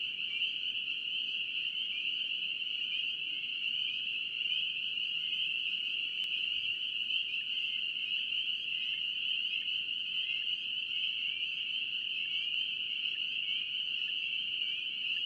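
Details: North Carolina spring peeper chorus: many frogs calling at once build a continuous piercing high whistle-like drone, individual peeps blurred together, steady loudness throughout, one brief click near the middle.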